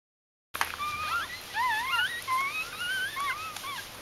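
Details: Newborn puppies of Ari's G litter, in their first four days, 1–4 October 2012, giving thin squeaky whimpers: overlapping wavering rising-and-falling whines, several voices at once, continuous after a brief silent start.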